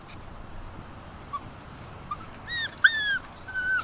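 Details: Six-week-old Alaskan Malamute puppies, with their father, give thin, high whimpers and squeaky whines, some sliding downward in pitch.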